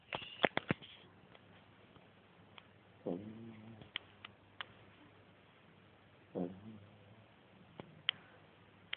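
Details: Pet dog snoring while asleep during one of its naps, two slow rasping, rattling breaths about three seconds apart, with scattered clicks and faint background hiss.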